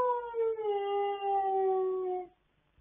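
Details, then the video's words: Late-night singing by pet dogs, recorded on 26 October 2022: one long, clear, harmonic howl that starts higher, drops slightly, and holds a steady falling pitch for over two seconds before stopping into quiet. "Late Night Singing Like A Don Giovanni Performance"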